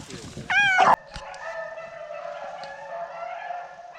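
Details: Beagles running rabbits in training early in the season: a loud, ringing bay, then drawn-out hound voices farther off as the pack circles a pond, with an old dog of about 13 lagging behind.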